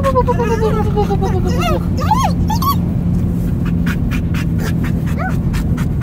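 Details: A dog yodeling in the car: long wavering, howl-like tones glide slowly downward, then give way to short swooping yelps that rise and fall, with breathy panting over a steady low engine rumble.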